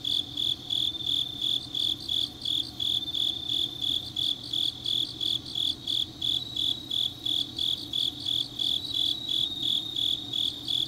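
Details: Changnyeong autumn night insects: rapid, regular high-pitched chirping about three pulses per second, one dominant singer over a quieter layered chorus of other grass insects.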